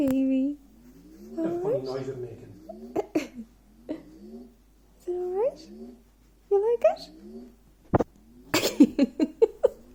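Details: An Irish beagle gives repeated wavering, yodelling howls and whines, upset by the electronic noise of an e-bike firmware update, while a person soothes it; clicks and beeps near the end; beagle.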